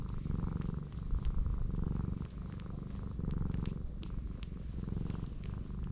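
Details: Low steady purring from a pregnant black cat rolled onto her back, letting her large belly be touched; the rumble pulses rapidly and evenly with light rubbing clicks over it.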